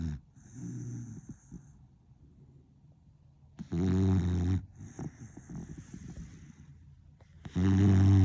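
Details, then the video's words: Sleeping beagle named Dizyusha gives three deep, rattling snores about three to four seconds apart, each a short low grinding drone, separated by quieter hissing breaths. "Храпит ли ваш питомец, как наша Дизюша"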